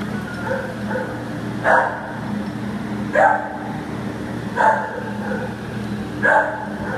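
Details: Adoptable American Pit Bull Terrier, September 15, 2015: four loud, sharp barks at a steady pace of about one every one and a half seconds, set against a continuous low hum.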